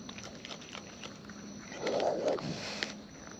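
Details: Wild raccoons eating at close range: soft, irregular crunching clicks run throughout, swelling into a louder wet rustling chew midway, over a steady low background hum.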